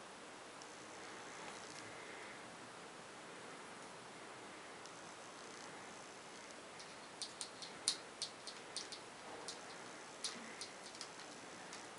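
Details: Quiet indoor room tone with soft rustling and a run of light clicks and taps in the second half, with no animal voice heard.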